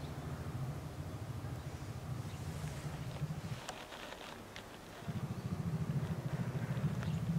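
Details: Lila, a two-year-old female polar bear in a holding pen at Maruyama Zoo, Sapporo, Hokkaido, Japan, on 19 January 2017, calls to her 22-year-old mother Lara to nurse. A low, rapidly pulsing hum breaks off midway, then resumes.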